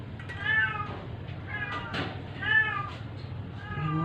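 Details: Sick stray domestic cat being force-fed to survive, meowing in distress: several wavering, harmonic meows about a second apart, with a woman's coaxing voice in Filipino and background music.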